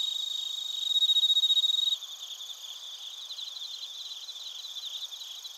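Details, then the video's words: Crickets, including bell crickets, in Narita, Chiba Prefecture, Japan, captured with a TASCAM Portacapture X8. A loud, steady high trill pulses for about a second, then gives way to softer, rapid, shrill chirps over a ringing insect chorus. "スズムシとコオロギの鳴き声 - Chirping of crickets"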